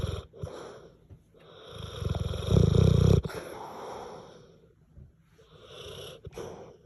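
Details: Deep, heavy snoring from a sleeping French Mastiff-Pitbull, a low rumbling rattle that swells to one loud snort-like peak midway, surrounded by softer wheezy breaths.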